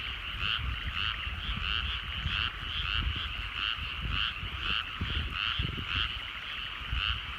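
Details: At sunset in countryside rice paddies, frogs croak in a dense chorus with clearly pulsed, regular notes about every half second over a steady trilling hum, with low background rumble.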